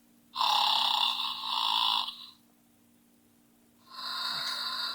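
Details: A snoring horse gives two long, breathy, rasping snores, the first lasting under two seconds and the second starting after a brief silence, over a steady low hum indoors.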